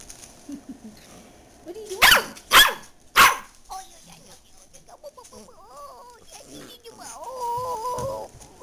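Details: Dachshund indoors giving three sharp, loud barks in quick succession about half a second apart, followed by softer, wavering whimpering whines with a person speaking nearby.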